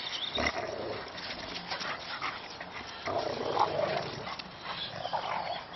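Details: Three Boxer dogs play fighting in a snow-covered garden: rough, noisy bursts of grunting and growling amid heavy scuffling, with louder surges near the start and after the third second.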